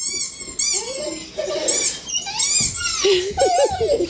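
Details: Holly, a house dog who cries in panic whenever she hears squeak toys, gives short rising-and-falling whimpers inside a small room, mixed with sharp high-pitched toy squeaks and a brief voice.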